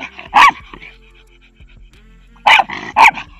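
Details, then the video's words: Miniature schnauzer barking while 'talking' with a Jack Russell terrier, not in aggression: one loud bark, a pause, then two sharp barks in quick succession, with faint background sounds between. "Цвергшнауцер Тоби. Лай - не всегда агрессия."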